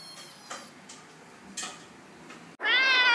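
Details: A cat lets out a single loud, bright meow at the very end, cut off mid-call, after near-quiet with a few faint soft noises.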